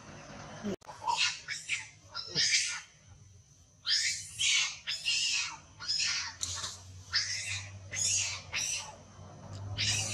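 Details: Large monkey crying loudly in distress while being badly abused: harsh, noisy screams in short bursts, some rising in pitch, coming in quick succession about every half second to second, with a low steady hum underneath.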